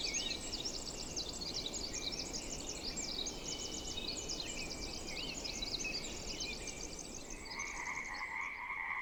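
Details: Pacific chorus frogs in a temperate rainforest wetland fill the air with dense, overlapping, high-pitched rattling calls from near and far, over a steady low rush of wetland background.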